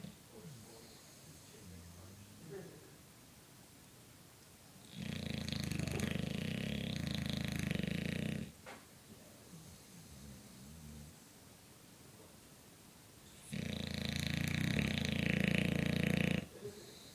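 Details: A sleeping 4-year-old English Bulldog snores in long, rasping, rumbling breaths separated by quiet pauses.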